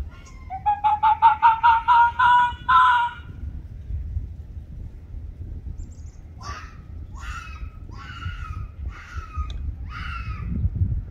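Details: Arctic fox named Ianto quarrelling with Waverly, a red fox: a rapid run of about eight rising, clipped yelps, then a pause, then five harsh barking calls spaced roughly every half second, low hum behind.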